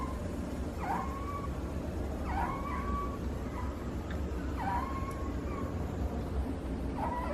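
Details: Fennec fox in Morioka Zoological Park, perhaps snoring or sleep-talking; four brief whining calls, each dipping then levelling off, spaced about one and a half seconds apart over a steady low hum.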